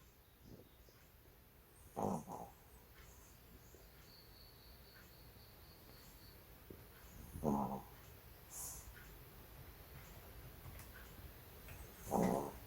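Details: A pet Yorkshire Terrier snoring in a quiet room: three rough, breathy snores, low to mid pitched and about five seconds apart, each a short rasping burst over faint steady background hiss.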